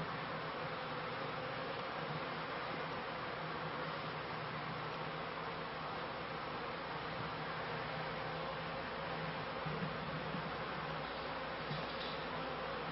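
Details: Swarming drone of beekeeping honey bees on their first day of high flight collecting pollen, 1995–96 season; a constant broad buzz with a steady low humming band, slightly swelling late in the clip.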